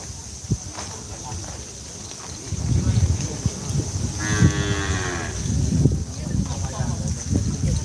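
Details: Racing cattle for Kerapan Sapi, the bull race of Madura, East Java, Indonesia, at the Asemanis field in Pamekasan during a rest break: one brief, wavering moo amid crowd chatter, footsteps and steady background noise.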